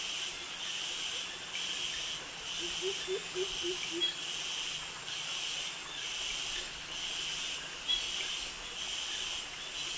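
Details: Males' mating chorus of cicadas in tropical forest near mangroves in Krabi, Thailand: rhythmic hissing pulses repeating about once a second over a constant high buzz, with a brief series of quiet low chirps midway.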